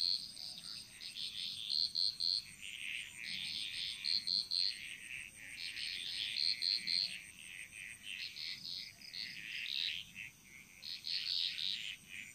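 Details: Chorus of frogs in the Bali jungle: continuous high, buzzy, overlapping calls in uneven bursts, with clusters of three bright piping notes recurring every couple of seconds, over a steady thin high-pitched hum.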